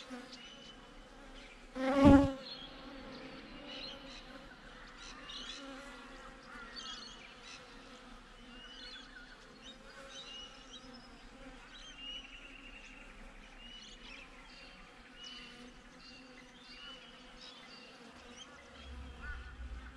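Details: Honey bees buzzing at the hive entrance, captured with a GoPro: a low, even hum with clear harmonic layers. A single loud knock sounds near two seconds, and faint bird notes float above.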